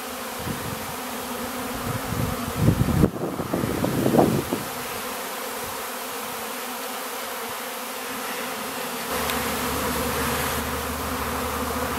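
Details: Honey bees swarming during rapeseed bloom in Ariège, France, in April; continuous buzzing drone with a strong close pass near three to four seconds, then a smoother even hum with faint hiss.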